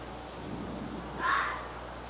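A red fox gives a single short, harsh call over a quiet background.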